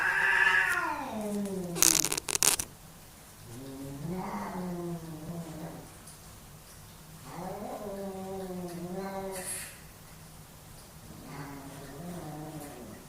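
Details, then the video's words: Two male domestic cats fighting for dominance indoors: drawn-out wavering yowls with rising and falling pitch, separated by short pauses, plus a brief burst of rustling or scuffling noise near the start. "My cats fighting for dominance!"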